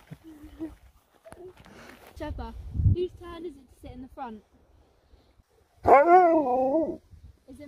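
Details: Sherpa, an Alaskan Malamute, vocalises amid a family's chatter about whose turn it is to sit in the front: short grumbling moans, then a loud, wavering, harmonic woo-like howl lasting about a second near the end, with human speech throughout.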